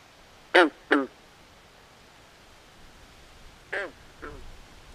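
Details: Two loud, rasping quack-like frog calls in quick succession, then a quieter pair a few seconds later, from a swamp at night.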